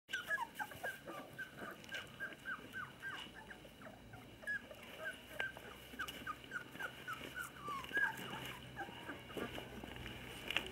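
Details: Labrador Retriever puppies, 20-day-old females beginning socialisation, playing with their parents at a breeding kennel in Olivares, Sevilla, Spain; a steady series of short, high squeaks and chirps, several per second, over a noisy indoor background.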